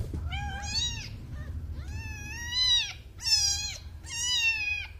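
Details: Newborn kitten crying in four loud, drawn-out mews about a second apart, each bending up then falling, rich in harmonics, with a faint low hum indoors.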